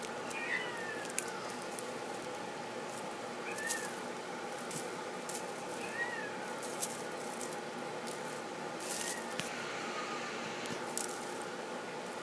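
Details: Male flame point Himalayan kitten giving soft, thin meows, each a brief rising-then-falling cry, about four spaced across twelve seconds, with faint rustling and clicks indoors.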